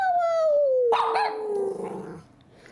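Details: Miniature Schnauzer vocalizing to its owner at home: one sustained, moaning whine that glides steadily lower for about two seconds. The owner's voice is heard briefly partway through.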